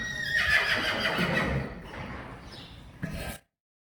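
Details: Friesian horse from a Dutch herd near Sneek giving a loud, shrill whinny that trembles with rapid pulses for over a second, then fades into softer nickering and a short thump before silence.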